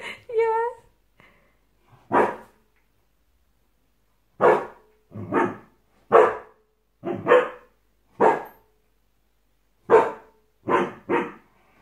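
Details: Sam, a Samoyed puppy, barking at himself on seeing his reflection in a mirror for the first time indoors; a short whine, then about ten sharp, loud barks in irregular bursts, some paired, over roughly twelve seconds in a quiet room.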